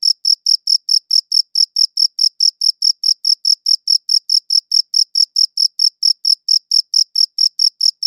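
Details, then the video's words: Crickets chirping, captured on a good audio recorder. Crisp, evenly spaced high chirps repeat roughly four times a second without pause against a silent background. "Cricket Chirping Sounds"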